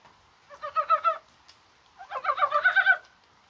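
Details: On a rainy, spring-like January 21st, mountain frogs give two quick runs of knocking, clucking pulses, the second run longer and louder.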